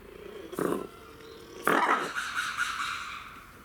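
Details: Captive red ruffed lemur at Saitama Children's Zoo, Japan, recorded 3 February 2018: a brief harsh burst, then a loud, raspy, harmonic-rich cry held for about two seconds and tapering off.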